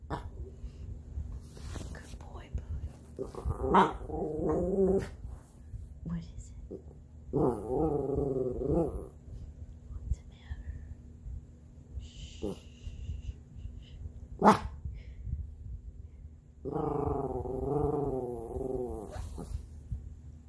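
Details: Bodhi, a Havanese dog trying not to bark at something outside, gives three drawn-out, wavering grumbling growls of about two seconds each, spaced several seconds apart, with soft whispering and a few sharp knocks between them.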